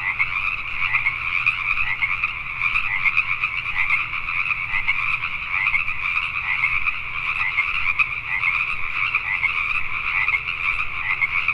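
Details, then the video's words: Night chorus of Pacific tree frogs in Richmond, British Columbia, Canada: many overlapping raspy croaks form a dense, unbroken pulsing wall of sound with two steady bands, no single caller standing apart. "Pacific Tree Frogs at Night"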